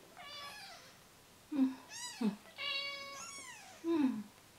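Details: Newborn rescue kittens, third day of care, losing weight while bottle-fed formula every two hours; several high, harmonic meows rising then falling, some short and squeaky, others longer and tonal, overlapping in a quiet small room.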